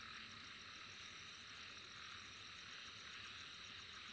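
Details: Shrill, unbroken insect trilling from Vietnam, many callers blending into one high hissing band with rapid regular pulses, steady level, and a low murmur of background noise underneath.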